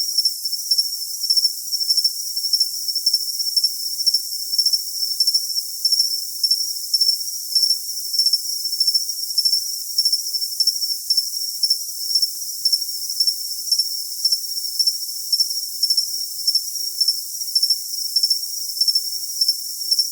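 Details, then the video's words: Cricket chirping in a shrill, steady high-pitched band, pulsed into rapid chirps about twice a second that run unbroken throughout, with a fainter higher overtone and no low sounds at all. "Cricket Sound for Tinnitus Masking"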